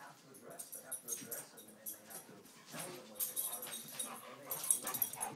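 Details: A Boston Terrier makes short grunts, whimpers and yips in bursts while wrestling with a golden retriever, with a person speaking nearby.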